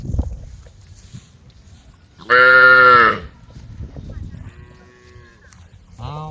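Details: Cows in a herd of dozens, brown, white and black, roaming leisurely along a dusty country road and calling the herd. One loud, harmonic moo lasts under a second amid quiet background rumble, with a faint lower call near the end.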